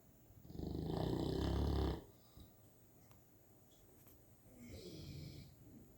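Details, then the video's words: Sleeping St. Bernard puppy snoring: a loud, rasping, breathy snore swells for about a second and a half, followed by a quiet pause, then a second, softer snore begins near the end. "Snoring St. Bernard puppy"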